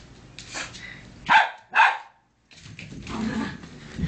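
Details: Dogs Bunny and Cookie, the little one, in a playful fight; two sharp, loud barks sound close together, followed by a brief silence and then rough scuffling and low rumbling.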